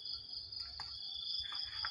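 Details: Crickets at early morning: a steady, high, shrill insect drone holding two unbroken tones without a pause, with faint soft rustles and brief voice sounds underneath.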